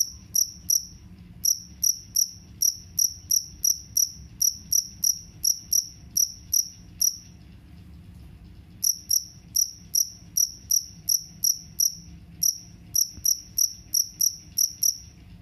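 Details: A jangkrik kalung cricket, said to chase off rats, gives long runs of crisp, piercing chirps, several per second, broken by pauses of one to two seconds, against a quiet low hum.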